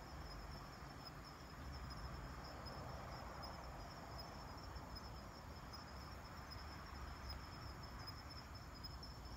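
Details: Kanetataki cricket calling at night, recorded 26 October 2019 on a night collecting trip: a high, thin, evenly pulsed ticking line persists throughout, set against steady low background hum.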